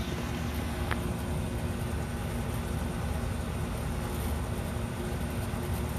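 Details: Continuous broadband roar of road traffic dominates, with no clear barks or other animal sounds.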